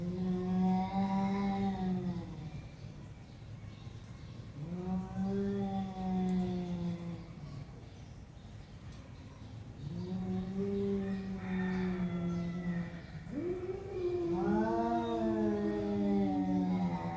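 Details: Two cats in a face-off, the bigger one with a horrible voice, trading long, low, wavering yowls that rise and fall, each about two seconds long and repeated after short gaps.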